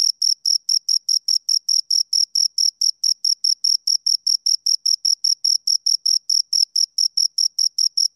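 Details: Steady cricket chirps from two insects at close range: bright high-pitched pulses in an even, rapid series, roughly four per second, against complete quiet.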